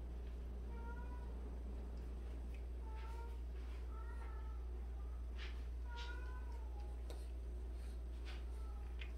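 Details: Repeated meowing from one of 76 cats kept together indoors, rescued and street cats. Short bent meows come about every second or two, with faint scuffling and clicks behind them and a constant low hum.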